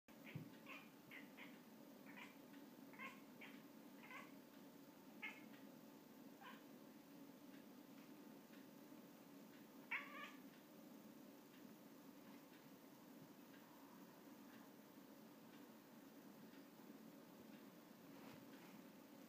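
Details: Russian Blue cat gives quick, high, clipped chirps in rapid bursts on seeing a fly, then falls mostly quiet; it finally catches the fly.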